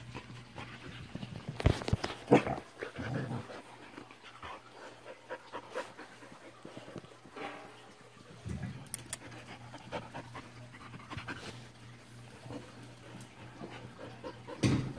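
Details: Samoyed puppy panting indoors, uneven breathy huffs in loose bursts, loudest near the start and end, over a steady low electrical hum.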